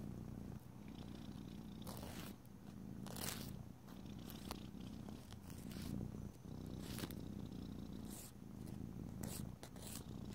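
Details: A domestic cat purrs in a steady, low rumbling drone while its long nails are filed, broken by brief scratchy rasps of the file.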